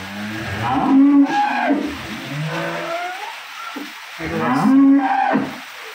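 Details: Dairy cow with a bull calf on a farm; deep, drawn-out lowing moos, two main calls around one and five seconds, with murmuring voices and background noise.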